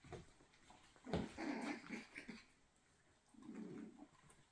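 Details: Miniature Schnauzer pups, coming up to five weeks old, playing and darting around; short low rumbling growls burst out between one and two and a half seconds, then a longer throaty growl near the end, amid scuffling movement.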